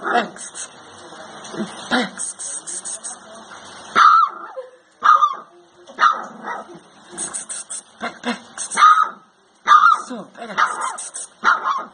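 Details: Rottweiler puppy howling while playing with a child indoors: short, high, yelping howls and yips repeated roughly once a second, with a television and a voice in the background.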